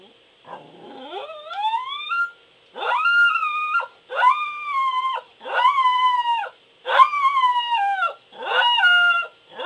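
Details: Pembroke Welsh Corgi howling: an opening rising whine, then a run of drawn-out, tonal howls about a second long, each holding steady before dropping slightly at the end, repeated with short pauses, clear and close.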